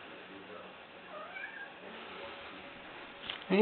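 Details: Ginger, a young female cat playing fetch, gives a soft, faint mewing call to get her ball thrown. A person's voice and a loud thump come near the end.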